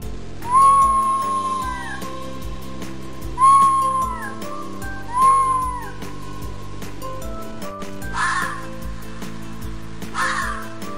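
A red fox gives three short, hoarse, wavering cries, a few seconds apart, over background music.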